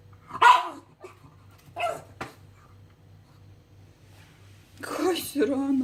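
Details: Pug making funny sounds, said to be seeing ghosts, indoors: two short harsh barks early, then a louder burst of rough vocalizing with a drawn-out whine near the end, over a steady low hum.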